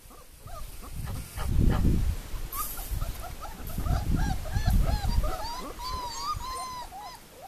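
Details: Young puppies, four weeks old, from Le Domaine des Pertins (Formule 1 / Callie litter), whining in rapid, rising-and-falling squeaks that end in a longer drawn-out whine, with muffled bumps and movement underneath.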